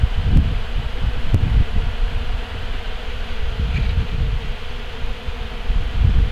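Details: Bees gathering honey left on collection equipment after harvest, recorded up close; a continuous low buzzing drone that rises and dips in loudness throughout, with brief surges near the start and end.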